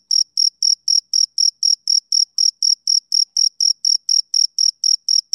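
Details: Steady, shrill chirps from a male cricket, roughly twenty evenly spaced high pulses in a few seconds, each a brief ringing burst with a faint upper harmonic, on a silent background.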